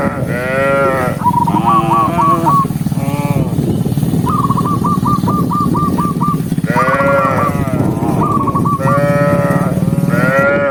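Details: Tame cattle herd walking together along a countryside path at sunset, mooing to call other cows home: long harmonic moos rise and fall repeatedly over a steady low rumble, with bursts of short, high, chirping notes in between.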